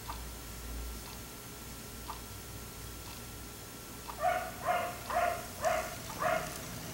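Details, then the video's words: Black Labrador left outdoors until 1am: after a few seconds of near silence with faint distant sounds, five rhythmic barks follow in quick succession, moderately far away. "Dog barking until 1am"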